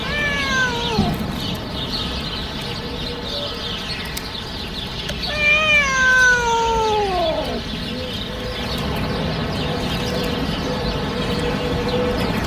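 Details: Domestic cat meowing strangely: two long, drawn-out meows that slide downward in pitch, one at the start and a longer one midway, over a steady broadband hiss.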